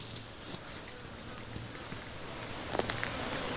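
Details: A swarm of tens of thousands of flies at an endangered predator project: a steady, diffuse low drone with a faint hum, a thin high whistle near the middle and a few sharp clicks toward the end.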